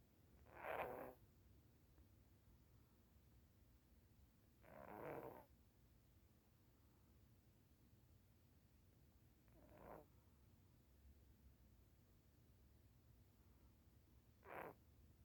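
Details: Orange cat sleeping soundly and snoring: four soft, breathy, rasping snores spaced about five seconds apart, with quiet gaps between them and no other sounds.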